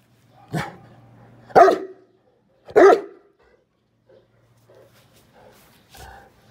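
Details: Saint Bernard barking three times in quick succession, roughly a second apart, each bark loud and deep, while receiving a 1.8 kg buffalo heart treat; a low hum and faint rustling follow.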